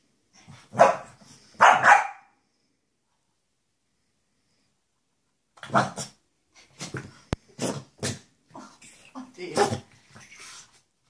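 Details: Shih Tzu reunion between Louis and his mother Lacey after seven months, indoors: two strong barks in quick succession, a pause, then a run of shorter barks mixed with people talking.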